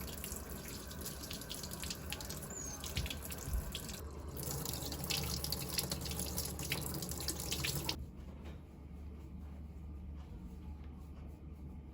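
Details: Water runs from a tap into a sink indoors, with drips, then stops around eight seconds, leaving a quieter room.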